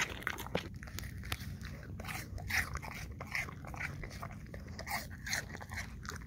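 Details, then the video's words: English Cream Golden Retriever munching apple chunks, quick crunchy bites and wet chewing in uneven clusters over a soft low rumble. "Eating Apple Chunks - English Cream Golden Retriever"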